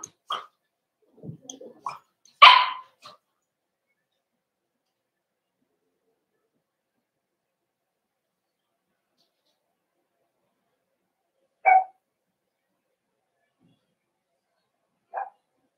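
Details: Cavalier King Charles Spaniel puppies in an indoor puppy pen meet several older household dogs for socialization, 12/13/22: a quick cluster of sharp barks and yelps at the start, then silence broken by two short single yips later on.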